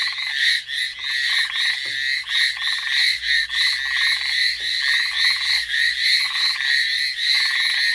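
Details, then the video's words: Amami Island frog chorus, Ornate Narrow-Mouthed Frog or Hallowell's Tree Frog: loud unbroken mass of high, grating pulsed calls from many frogs, lower rattling bursts recurring every second or so beneath. "Frog call at Amami."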